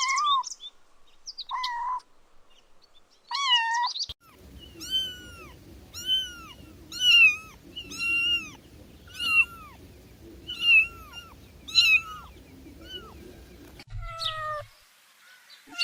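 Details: Kittens chasing butterflies outdoors on grass mew repeatedly: a few spaced cries, then a steady run of short, arched, high-pitched meows about once every second over a low background hum.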